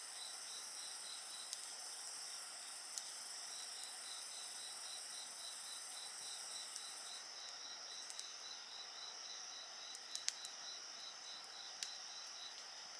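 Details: Steady insect song by a bonfire: a bright, rapidly pulsed trill repeating evenly over a continuous high hum, one upper voice dropping out midway, with frequent sharp crackles and pops from the burning wood.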